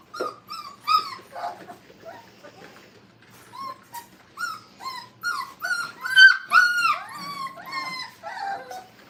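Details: Brittany puppies, five weeks old, at play in a training kennel: a run of thin, high whimpers and squeaky yips, sparse at first, then denser and louder, with overlapping cries toward the end.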